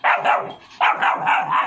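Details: Rottweiler puppy named Roxy, a pet, angry because she cannot grip a bucket: two quick bursts of rapid, harsh, mid-pitched barks or growls, each a fast pulsing run of several notes.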